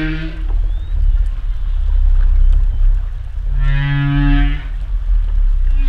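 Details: Humpback whale underwater: a deep low groan, then a brief harmonic moan with a buzzy upper edge, over constant low-frequency rumble.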